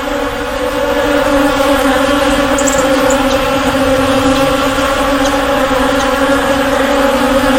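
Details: Swarm of bees giving an unbroken, even buzz. A low fundamental drone carries bright harmonic bands, with faint high ticks over the steady hum.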